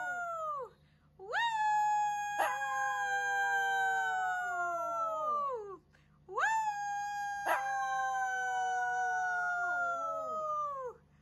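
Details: Two long, even Shih Tzu howls, each starting with a rise, holding a clear sustained tone and sliding down at the end, separated by a short quiet gap over a faint low hum.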